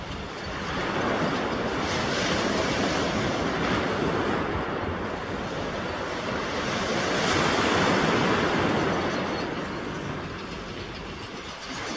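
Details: Loud, steady roar of wind buffeting the microphone, swelling and easing like surf, with no animal voice.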